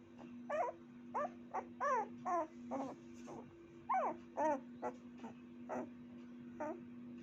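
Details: Puppy letting out soft, thin yips and brief whimpers at irregular intervals, some slightly rising and wavering. A steady low hum lies beneath the calls.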